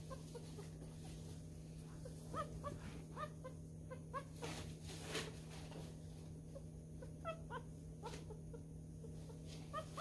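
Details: Newborn miniature schnauzer puppy, a messy eater, being hand-fed. Faint, short, high squeaks and soft wet feeding clicks repeat through the clip over a steady low indoor hum.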